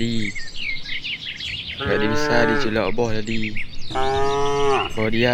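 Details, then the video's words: Grazing cattle in spacious rice fields call back and forth, giving a short low moo and then two long sustained lowing calls, while birds chirp from the trees in the distance. "Vidio suara puluhan sapi lucu"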